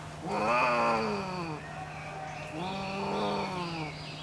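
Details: Female Pallas's cat in a Japanese zoo enclosure, angered by a male's mating attempt, gives two long nasal wailing calls, each swelling then fading, separated by a short pause, rich in stacked harmonics.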